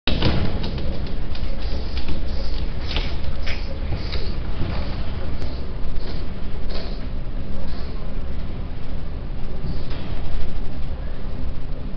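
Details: Low rumbling vehicle noise with faint voices and occasional knocks, no animal calls.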